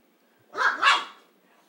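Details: Dog giving one bright double bark, two quick bursts running together, then quiet.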